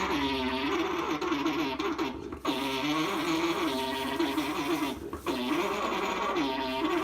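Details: Alpacas mating at Charmingfare Farm give a throaty, warbling hum that wavers up and down in steady, repeated pulses; a young male mounting his mother is said to be making the noise.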